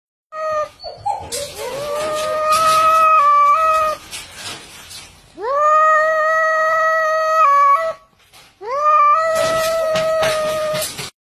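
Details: A cat singing in long, drawn-out, wavering caterwauls, three sustained tonal howls each lasting a few seconds, separated by short pauses.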